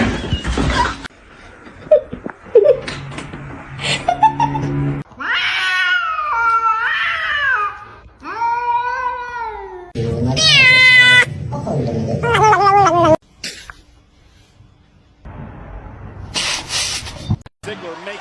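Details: Kitten meowing: several drawn-out, wavering meows with rich harmonics, some rising then falling, separated by short gaps, alongside bursts of noise and a man's voice speaking nearby indoors.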